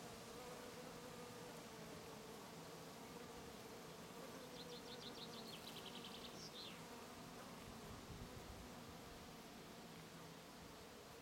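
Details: Bees and other insects foraging on lavender in a garden in Brittany, France; a faint, steady low buzzing hum runs throughout, with a brief series of high, rapid chirps near the middle.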